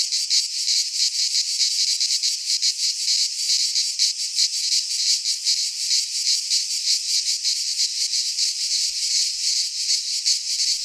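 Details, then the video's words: Midsummer chorus of cicadas in a pine forest in Greece, a loud shrill rasping drone pulsing in quick beats nearly three per second, steady throughout with no birds or voices. "Cicadas singing in midsummer - Nature sounds from the Greek fauna - Sounds of cicadas"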